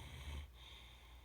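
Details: Max, a sleeping Great Dane, lets out a short low snort while snoring, a brief rough burst lasting under half a second over steady background hum.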